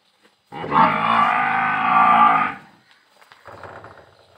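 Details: A single long, steady bellow lasting about two seconds from a Murrah buffalo on a dairy farm near Parbatsar, 16 December 2022. The full-throated harmonic call is followed by quieter low rumbling and farmyard background.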